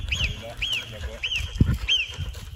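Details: Marmots calling in the mountains near the top of a cable-car route during a summer holiday, with at least three marmots seen, give sharp, high whistles, each arching up then down, repeated about twice a second.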